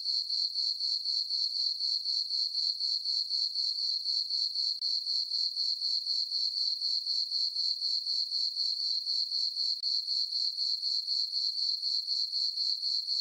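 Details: Summer-night crickets in a farm meadow under a full moon keep up a bright, high-pitched chirping, regular pulses roughly four each second and unchanging in loudness, with no other sound.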